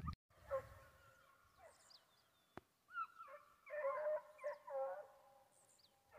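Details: Foxhounds on a wild boar hunt in Brazil, baying on a hillside: a few drawn-out harmonic howls near the start, then a denser burst of overlapping baying voices in the second half, with birds chirping faintly above.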